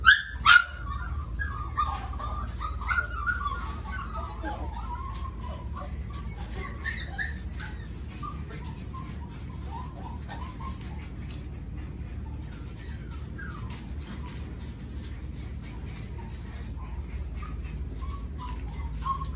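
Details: Five-week-old puppies from one litter: a sharp yelp at the start, then a run of high, wavering whimpers and squeaks that fade into scattered thin cries over a steady low hum.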